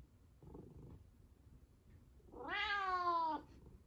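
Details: Domestic white cat with a kinked tail meowing indoors to demand food: one loud drawn-out meow about a second long, rising then slowly falling, after a faint muffled sound earlier.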